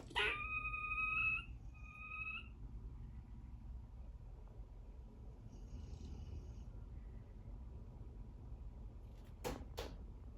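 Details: A young pet squirrel gives two drawn-out, high whistled alarm squeals on hearing a Cane Corso snoring, then falls quiet; it is his first time making warning sounds.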